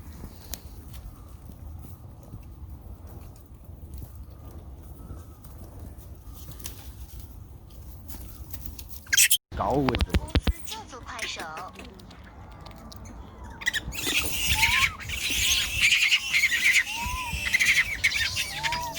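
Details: Baby monkey with its brother, crying loudly to find its lost mother; after a quiet rustling start, a burst of loud harmonic wails, then repeated short rising-and-falling cries over broad hiss and rustling in the last seconds.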